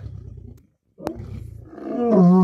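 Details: Lions, lionesses and cubs fighting for dominance over food at a kill: a low rumbling growl, a short pause, then a loud, rising, harmonic snarl that swells sharply toward the end.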